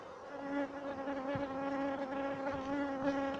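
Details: Honey bees during honey collection, a steady droning buzz holding one even pitch with stacked overtones through the whole stretch, with a brief low thump near the middle.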